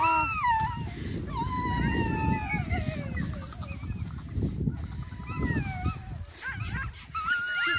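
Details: Greenland Dog puppies on 5/6/17, at their first meeting with puppies other than Siumut. Several high, wavering whines and yelps slide up and down and overlap, with a steady low rumbling noise underneath throughout.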